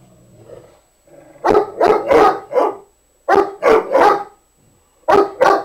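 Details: A pet dog barking while trying to get another dog to play, which does not want to: a quiet rumble at first, then loud sharp barks in quick bursts of three or four, with short pauses between bursts.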